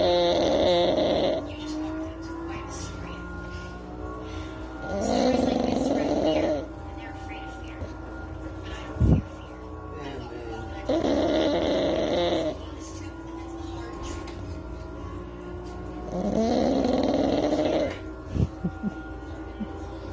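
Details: Pet pug dog asleep on its owner's lap, snoring: rasping, rough breaths roughly every five to six seconds, each lasting about a second and a half, with quiet gaps between and a brief thump near the middle.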